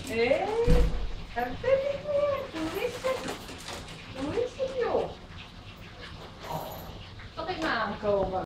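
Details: Yorkshire Terrier greeting its owner coming home, giving a run of high, rising-and-falling whines and whimpers, some sliding up sharply, with a person speaking in between.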